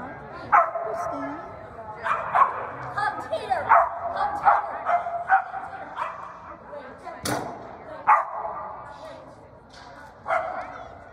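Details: Toy poodle named Bean running a standard agility course on 9-21-2020, giving sharp, tonal yipping barks in bursts about every second or so, with human voices talking over the run.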